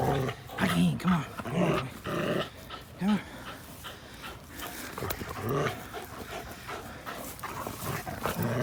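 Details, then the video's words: Two dogs at play, an American Pit Bull Terrier named Linus and a blue Belgian Malinois cross named Buddy, April 1, 2019; low rumbling growls and short vocal bursts come in uneven clusters, with scuffling and a human voice at times. "APBT Linus vs Buddy dog the blue Belgian Malinois X!"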